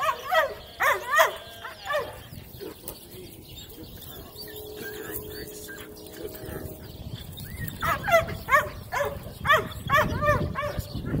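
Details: Four-month-old female Cane Corso barking during an evaluation: bursts of three or four high, ringing barks open the recording, then a quieter stretch with a faint tone, and another rapid series of barks over low rumble.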